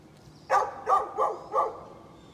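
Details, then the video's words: Barking neighbour's dog, recorded 13 November 2020, giving four loud, harsh barks in quick succession, roughly three a second, over a quiet background. "Neighbor's barking dog"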